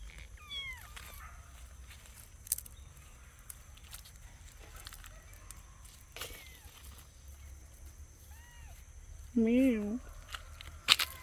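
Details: Kittens exploring nature outdoors, four new unnamed kittens alongside a cat called Loki; a few soft, high, short mews early on, then one loud, wavering, drawn-out meow near the end, with a person talking in between.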